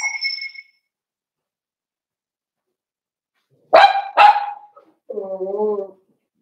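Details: Blenheim Cavalier King Charles Spaniel puppies from a litter of five born at New Year to Paris and Spike, indoors in their puppy pen: a thin high whine, then two sharp barks close together and a wavering harmonic yelp.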